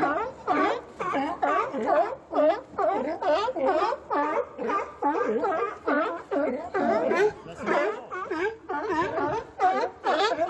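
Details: Several sea lions call in a nearly continuous chorus of rough, throaty barks, each wavering in pitch, overlapping and repeating about twice a second.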